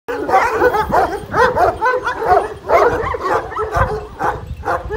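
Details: Kangal shepherd dogs, described as golden Kangals, giving rapid, overlapping tonal barks and yelps. Several voices seem to call at once in a busy chorus of about two calls per second, with no pause.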